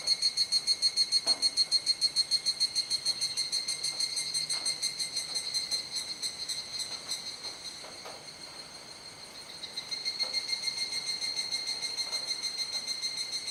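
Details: Evening chorus of cicadas in Kuji, Iwate Prefecture, 17 July 2017, as the sky darkens; strongly pulsed shrill song about three beats per second, fading midway then rising again into a steadier drone.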